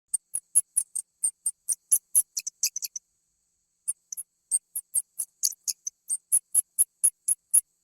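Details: Rat, recorded as a real animal, giving short high-pitched squeaks in quick irregular runs, a pause near the middle, then steadier repeated squeaks; no other sounds, clean silent background.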